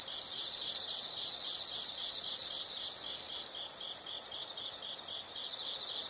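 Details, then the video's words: Nature sound of insects: an intense continuous high trill with ringing overtones for about three seconds, stopping suddenly, followed by quieter rapid chirp bursts in groups of four or five. "the sound of insects"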